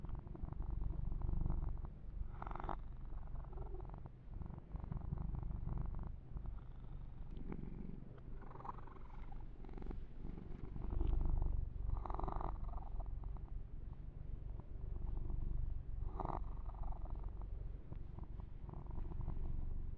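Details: Long stretch of gentle purring from Yumak, a young male house cat being massaged, a deep vibrating rumble pulsing about four times per second, with scattered brush strokes and light handling noises over the fur.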